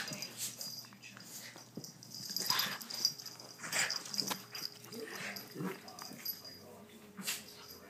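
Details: Rough play between the dogs Chubbles and Cuteness, with Cuteness turning the tables. Breathy, wheezing snorts and hissy huffs come in quick irregular bursts, while a person talks quietly in the background.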